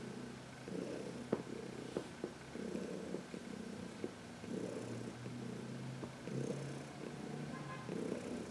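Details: Heidi, an older adopted domestic cat, purring while being massaged in the sun on March 19, 2021; soft regular purr pulses with a low hum beneath and a few small clicks.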